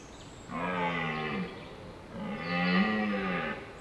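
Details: Two deep, groaning roars from a wild red deer stag in the rut, holding hinds in woodland; each lasts about a second, with a short pause between, and the second is louder.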